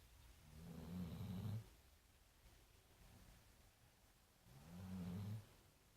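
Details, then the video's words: Marley, a big brown dog at The Funny Farm, snoring while asleep and tired: two deep, rumbling snores about four seconds apart, each lasting under a second, low and throaty with a quiet breathy pause between them. "Big Brown Dog...Marley snoring"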